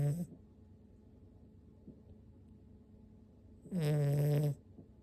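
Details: Six-month-old toy poodle Oru-kun asleep: the tail of one snore opens, then after about three seconds of quiet comes a long, loud, humming snore with a slight downward slide.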